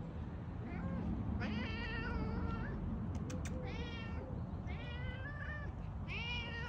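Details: Cat meowing repeatedly over a strong low rumbling background: a series of short-to-medium nasal meows, several dipping then rising, interrupted by a few sharp clicks. The calls come in quick succession, about four per second at their densest.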